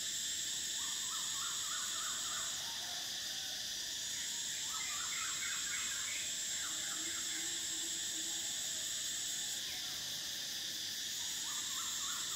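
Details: Summer cicadas sustain a piercing, steady buzz with short breaks, accompanied by several bursts of rapid, repeated bird notes spread through the recording.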